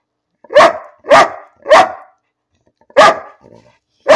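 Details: Pet dog named Bean barking for no apparent reason: five sharp, loud barks in a loose series, three close together, then a pause before two more.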